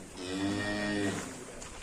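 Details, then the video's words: Agitated cattle, described as angry and rampaging, kept in a farm pen: one deep, steady moo of about a second with strong harmonics, ending abruptly, followed by a quiet pause. "SAPI NGAMUK SUPER BRINGAS HANTU PUN TAKUT"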